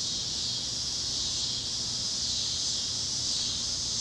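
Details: Cicadas chirping at sunset across Kansas fields on a warm Great Plains evening: a short stretch of constant, shrill, even buzzing with gentle swells, over a quiet low rumble.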